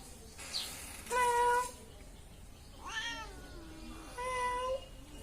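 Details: Domestic cat giving three separate meows, each a harmonic, slightly wavering tone about half a second long, spaced roughly two seconds apart over a quiet background.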